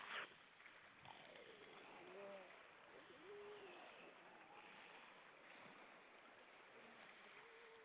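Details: A group of grey seals at Vilsandi, Estonia, 25 September 2012 around dusk: several brief arched moans and yelps overlap in the middle, softer wails trail off later, over constant surf and wind hiss after an opening splash.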